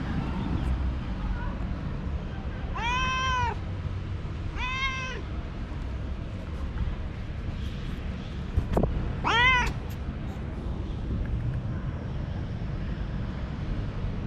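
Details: Energetic young male cat running and playing with a moth, giving three short arched meows around three, five and nine seconds, with a sharp click near nine seconds over steady low background rumble.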